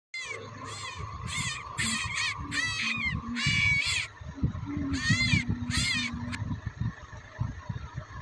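A baby rabbit gives shrill, harsh crying squeals in quick repeated bursts.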